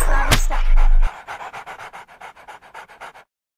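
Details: Moose, a pet dog, panting: quick, even, breathy puffs about eight per second for two seconds, after a short loud burst of talking and thumping at the start.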